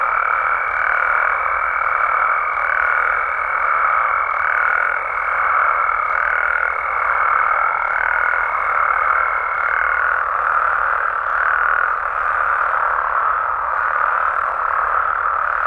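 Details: Mexican frogs and toads calling at night in natural habitat, a thick continuous chorus pulsing roughly once a second, with a sustained high whistle-like trill running over it for the first ten seconds and then stopping.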